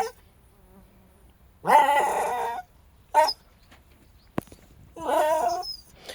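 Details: Jack Russell Terrier, one of the pair Treisy and Azzuro, on a very hot day, gives three tonal, harmonic whining yelps: a long one of about a second, a short one, then another long one, with a sharp knock between.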